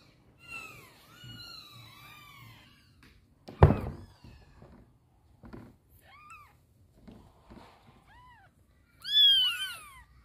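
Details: Mother cat indoors struggling to carry her baby kitten in a box, giving several clear falling meows through the first half, a loud thump near the middle, softer short calls, then a final loud drawn-out meow at the end.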